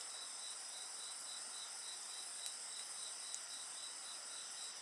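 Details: Night insects sing together in a steady chorus of high, ringing trills. Several bands run at once, one pulsing rapidly, and faint crackles from a bonfire pop now and then.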